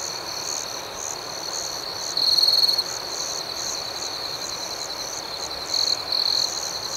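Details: Crickets calling through the night: a constant shrill trill forms the bed, with pulsed chirps about four per second and two louder trilled bursts, one early and one late, standing out.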